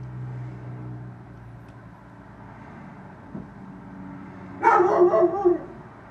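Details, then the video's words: Neighbour's dog barking about eight feet from a bedroom window: a low steady vehicle-like rumble, then near the end a quick burst of three or four harsh, loud barks packed within about a second. "dog barking"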